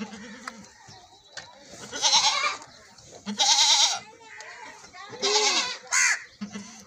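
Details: Domestic goat bleating during milking: several loud, quavering, wavering bleats spaced a second or so apart, with people talking quietly between calls.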